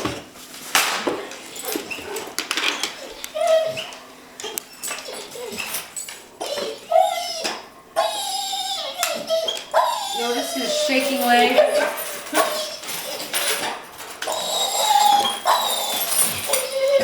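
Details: A pet dog so excited about going to the park that it shakes, giving high, wavering whines and yelps that rise and fall between short bursts, with people talking and calling it to sit.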